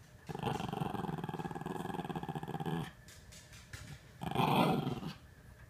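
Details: Wrestling Norfolk Terriers, with Otto and a companion keeping Ernie under control: a long low pulsing growl for over two seconds, a brief quieter lull, then another short burst of growling.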